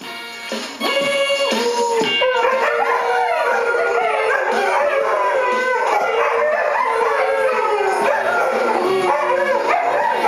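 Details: Several Afghan hounds keep howling along with a song on the radio; drawn-out, wavering tones rise and fall continuously against loud music after a brief quieter start.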